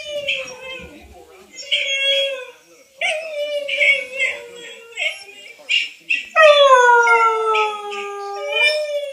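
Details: Female whippet howling on hearing her own recorded voice for the first time: a string of shorter wavering howls, then a long howl that starts high, slides downward and holds for about two seconds.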